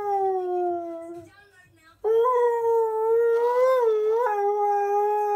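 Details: A young husky puppy howls back at a person's howling attempt, giving a sustained tonal wail, a short pause, then a second long howl with a slight wavering rise before it steadies.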